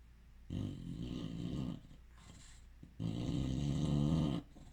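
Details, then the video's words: Sleeping bulldog snoring indoors: two long, deep, rattling snores, each lasting over a second, separated by a quieter inhale, with a low, rough buzz throughout. "Bulldog snoring"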